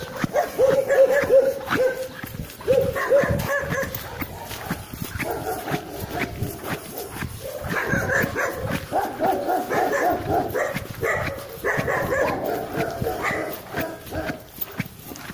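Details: German Shepherd barking during a guard-quality test, test number 77: loud, harsh barks in irregular bursts, about three per second, some with a rough growling edge, over faint background voices.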